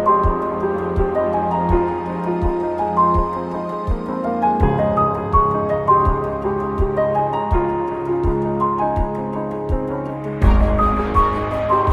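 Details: Gentle, tender instrumental music plays throughout with a soft rhythmic pulse, and no animal is heard.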